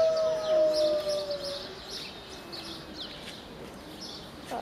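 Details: A pack of wolves at Berlin Zoo howls in chorus, each voice a long tone gliding up and down, overlapping at different pitches, with faint higher whines and background chatter.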